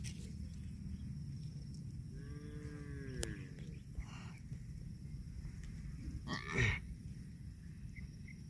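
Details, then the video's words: Cow mooing while grazing on grass: one drawn-out, harmonic-rich low moo that bends up and then down over about a second. A constant low hum runs underneath, with a brief scraping noise later. "CUTE AND FUNNY COW SOUND EATING GRASS COMPILATION - COW MOOING- CON BO"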